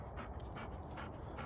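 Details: Labrador Retriever gundog returning to shooting training after a few easy months; breathy rhythmic panting in four puffs over a second and a half, with a handler giving quiet commands close by.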